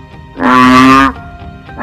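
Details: A male banded bullfrog gives one deep, droning, bull-like moan lasting under a second, the low-pitched call it makes to prospective females.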